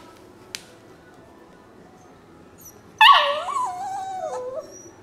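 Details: Rescue puppy, possibly a Labrador, spaniel and beagle mix, letting out one drawn-out whine lasting about a second and a half. It starts sharp and high, then wavers and slides downward before fading, after a near-silent start.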